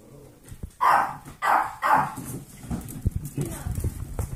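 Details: Golden retriever mix foster puppies, eight weeks old, playing: three sharp barks in rapid succession open the sequence, followed by softer scuffling, thumps and low noises of rough play.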